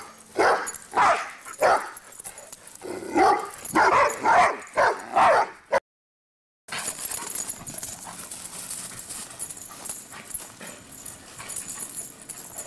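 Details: Two pet dogs running around and barking: a quick series of sharp, loud barks about every half second for six seconds, then a brief dropout followed by quiet background hiss with faint knocks.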